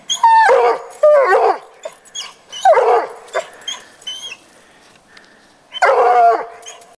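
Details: Petey, a coonhound, baying after treeing the neighbour's house cat: four loud, drawn harmonic bays sliding downward, two close together early, one mid-clip, one near the end, with quiet pauses between.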